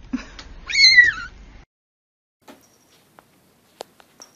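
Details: Cat from a compilation of cats hanging from random objects gives one clear, drawn-out meow that rises then slides downward, followed by near silence broken by a few faint clicks.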